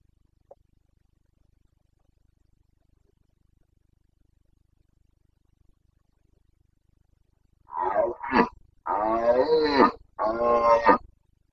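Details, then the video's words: Carpathian red deer stag bellowing during the autumn breeding season in the Bucovina mountains: long quiet stretch, then a burst of four loud, rasping, harmonic roars delivered back to back. "Boncănit / Carpathian stag Breeding season"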